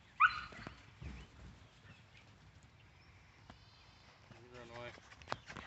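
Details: Five-week-old husky puppy giving a sharp, high whine at the start, then fainter whimpering and a brief harmonic yelp, with a person's voice speaking softly to the dogs in the background.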